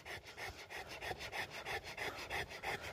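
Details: Rottweiler named Rembo in Uttarakhand, India, after injuring a goat: steady, rapid breathy panting, each huff a short raspy burst repeating about four times a second.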